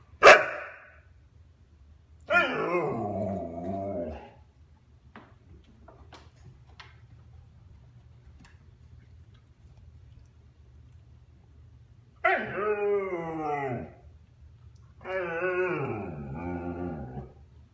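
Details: One-and-a-half-year-old Husky talking to get his younger brother's attention while being given the cold shoulder: a sharp bark, then drawn-out wavering howl-like moans with bending pitch, two more long yodelling vocalizations after a pause, quiet room.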